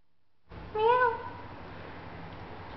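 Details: Domestic cat lying in a cardboard box, meowing back at its owner after waking sleepy and kneading the air: one clear rising-then-falling meow lasting about half a second, followed by quiet room hum.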